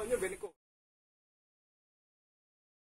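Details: A half-second burst of indoor sound cuts off abruptly, leaving near-total silence for the rest.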